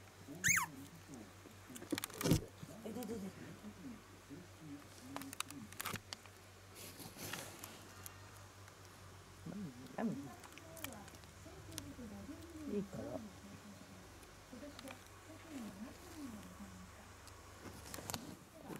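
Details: Young Shiba Inu puppy 屈, whose eyes and ears are just opening as it starts to stand and walk, gives soft, wavering, arched whimpers that come in bursts over faint rustling and a few sharp knocks.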